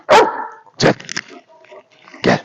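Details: Belgian Malinois named Alfa barking indoors: three sharp, loud, broadband barks, one at the start, another just under a second later and a last one near the end, with softer rustling and faint vocal sounds between.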